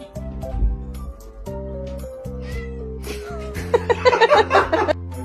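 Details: Domestic cat giving a rough, harsh burst of meowing and yowling in the final second and a half, heard over loud, steady, looping background music that fills the whole recording.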